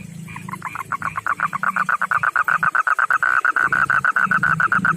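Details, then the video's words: Male frog of backyard ponds and rivers, a rough-skinned kind unlike the rice-field frog, calling to a female: a loud, rapid train of raspy, mid-pitched pulses, roughly eight per second, over a low background hum. "begini suara kodok jantan panggil betina"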